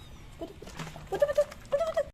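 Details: Mother cat with her three kittens in a yard, being fed milk and rubbing against legs; two short, clear tonal meows near the end, each slightly wavering, after faint rustling and a quiet background.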